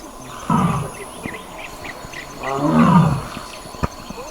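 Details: Royal Bengal tiger roaring in the wild in the Burapahar range of Kaziranga National Park, Assam, as a sambar deer mother comforts her young. Two deep, rough bursts about two seconds apart over a steady insect hiss.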